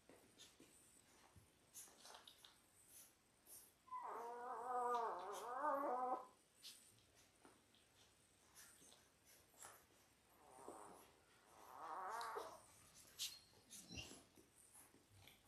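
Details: Labrador Retriever puppy, 10 days old, from a litter of six born January 18, 2022, filmed indoors on a puppy cam: a wavering, high whimpering cry lasts about two seconds, then two shorter whines follow, between soft rustles.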